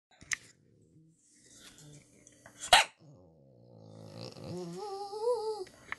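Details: Small female pet Cavalier King Charles Spaniel singing: scattered clicks and a sharp thump, then a drawn-out, wavering whine-like howl that rises and falls over about a second near the end.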